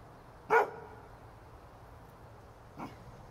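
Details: A pet dog barks in a quiet room, apparently at nothing: one loud, sharp, short bark, then a single fainter bark about two seconds later over a low steady background hiss.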